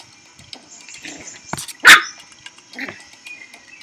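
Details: Baby Teacup Poodle puppy giving a single sharp, high bark midway through, with faint scattered rustles and a thin steady hum behind it.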